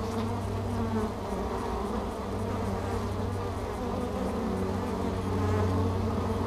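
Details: Many honeybees crowding a hive entrance, returning with pollen loads, filmed close up by an action camera stuck at the entrance; continuous low wing hum, thick and droning, with slight rises in loudness near the end.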